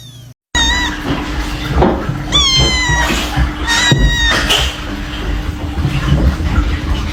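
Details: Short, thin kitten mews, two or three quick high cries with clear overtones, partly buried under loud rustling, handling noise and a steady low tone.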